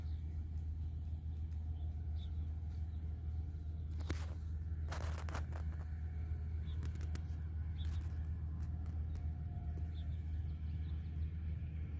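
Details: A constant deep engine rumble plays outdoors, with a few brief clatters and no animal voice.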